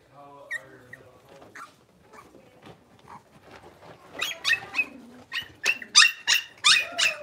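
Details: Litter of five blenheim Cavalier King Charles Spaniel puppies at six weeks old in an indoor pen. Faint squeaks give way to a loud run of sharp, high-pitched yips, several per second, in the final three seconds.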